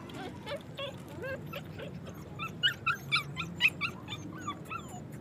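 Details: Afghan Kuchi dogs in Pakistan: after a quiet, murmuring start, a short burst of bright, piercing yelps and whimpers comes in the middle, five or six quick notes, then fades to a few softer squeaks.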